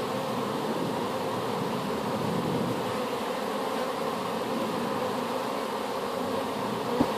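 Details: Swarm of honey bees freshly hived after being gathered from an apple tree; a continuous humming drone fills the recording, with a short knock near the end.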